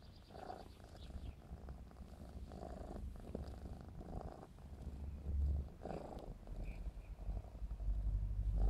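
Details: Purring of Clarence, a black smoke Maine Coon aged 4½ months, during play; continuous deep throaty rumble swelling in pulses, growing louder toward the end, with a brief faint chirp and some rustling.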